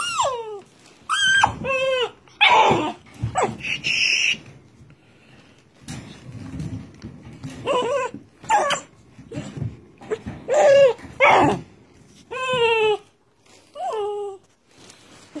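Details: A new red Doberman indoors gives a series of high, whining yelps that slide downward in pitch. The yelps come in short bursts with pauses between them, and a person speaks softly in the background.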